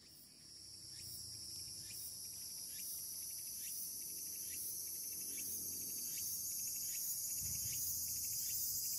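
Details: Tsukutsukuboshi cicada singing on an early August evening, just after the start of autumn by the calendar; regular pulsed phrases repeat about three to four times per second over a steady high insect drone that swells louder.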